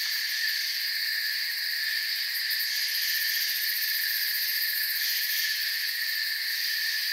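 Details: Forest crickets chirping softly as a relaxing backdrop, layered continuous trills forming a level high-pitched drone, with a finer fast-pulsed shimmer at the very top, a brief swell in the middle, otherwise constant throughout.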